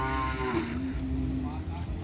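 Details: Cattle training for kerapan sapi bull racing before the President's Cup: the tail of a low, harmonic lowing call fades within the first second, followed by a steady rumble and faint human voices.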